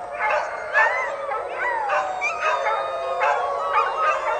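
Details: Pups howling together after dinner, several overlapping wavering voices rising and sliding in pitch, with short yelping breaks; a raven calls in the background.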